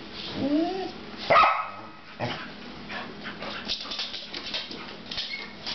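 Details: Several pet dogs barking at something unknown: a whining yelp and one sharp loud bark early, then a string of quieter, more distant barks and faint yips.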